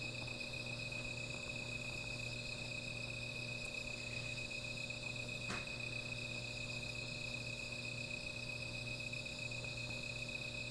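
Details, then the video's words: Insects at night near a small fire give a constant high trilling hum, steady throughout, with a low background hum and a single sharp snap midway. "Sound of Insects"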